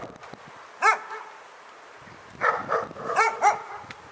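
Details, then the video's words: Dog barking at Pyrga: a single sharp, high-pitched bark, a pause of over a second, then a quick burst of four yappy barks, over a low background hiss. "Pyrga Barking Nightmare"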